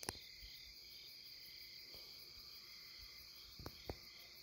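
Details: Insect chorus on the bank of the Deudeul River at Nampyeong in late September: steady, shimmering high-pitched trilling layered in several continuous bands, with a few faint knocks and thumps.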